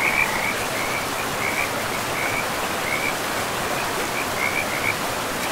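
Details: Frog calls along a river in pristine forest: short, high, chirping trills recur every second or so, fairly faint against a continuous wash of river noise.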